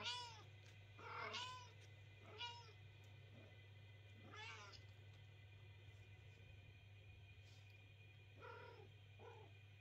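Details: Night-time crying from kittens that won't let their owners sleep: short, bright meows in little groups near the start, a pause with only a low hum, then two more brief cries near the end.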